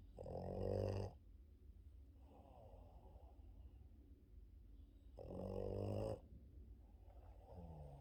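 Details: A male Boston Terrier snores loudly during his morning sleep, with a long rumbling inhale roughly every four to five seconds.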